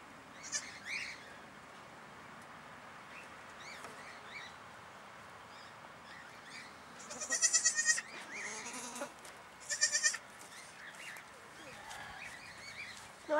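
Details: Newborn goat kid calling: a few short, quavering bleats, loudest around the middle and again a little later, over a quiet, faintly hissing background with occasional soft sounds.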